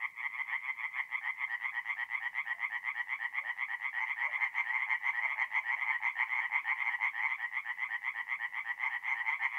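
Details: Tree frogs singing at night at a forest pond in mid-April in north-eastern Italy; a dense chorus of rapid, rattling croaks pulses about twice per second, overlapping voices forming a continuous trill with no other sounds.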